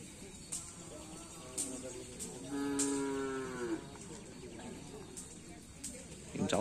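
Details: Karapan sapi racing bull of team Griduh Onggu training at the Asemanis field, Madura: one drawn-out, steady, low moo lasting about a second and a half mid-clip, with scattered clicks and a faint rural hum around it.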